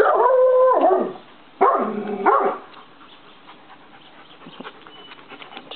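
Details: Maremma Sheepdog giving two drawn-out, tonal howls rich in harmonics over the first two and a half seconds, the second lower and wavering, followed by quiet with faint background noise.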